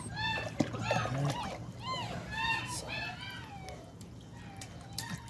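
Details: Beagle puppy learning to swim gives a run of high, arching whines, each rising then falling, several per second, with faint water sloshing and a low hum underneath.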